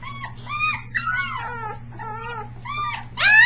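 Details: Three-week-old Briard pup, a very vocal one practising howling, recorded on July 15, 2009: a run of short rising and falling whining yelps with rich overtones, some bent and wavering, ending in a louder, higher squeal, over a steady low hum.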